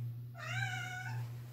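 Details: A pet cat meowing very loudly indoors, apparently wanting company going downstairs: one long, drawn-out, rising then falling meow lasting about a second, with a steady low hum in the room and a person speaking before and after.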